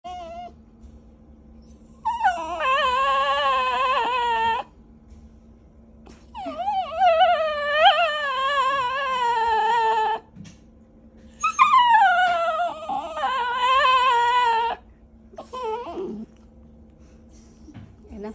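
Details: Poodle said to say "mama", producing long drawn-out wavering whines and howl-like vocalizations in three bouts of about two to four seconds each, pitch rising and falling, with a steady low hum behind.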